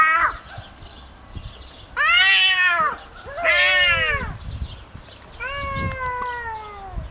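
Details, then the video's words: Kitty, a pet cat, fighting over territory: loud, strained wailing yowls about a second long, two harsh intense cries followed by a lower steadier howl, with thuds and scuffling between them. "My Cat Kitty Fights over territory | Real Sound"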